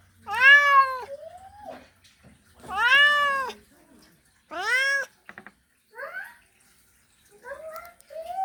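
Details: Mating call of a male cat calling a female: three strong, drawn-out meows that rise and then fall, about two seconds apart, followed by softer, shorter rising mews.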